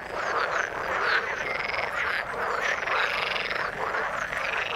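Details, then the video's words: Croaking frogs in the water form a thick, continuous chorus; rasping, pulsed calls overlap with brief bright chirps rising and falling about once a second. "Frog sound in the water"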